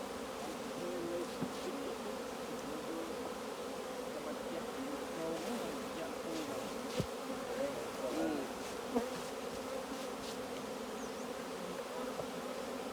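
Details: Honey bees at the hive during a honey harvest by beekeepers; a steady, dense droning hum from many bees throughout, with faint clicks and handling noises.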